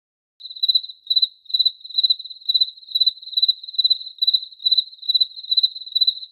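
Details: Cricket chirping in a steady loop: a narrow, high, pulsed trill repeated about twice a second, each chirp made of rapid pulses, after a short silence at the start; nothing else audible.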